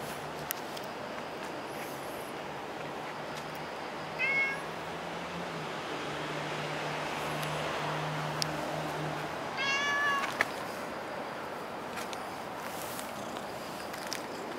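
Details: A cat at Dockyard Garden, recorded on 24 September 2016, gives two short, clear meows about six seconds apart, each a bright, slightly rising cry over a steady low mechanical hum and faint background noise.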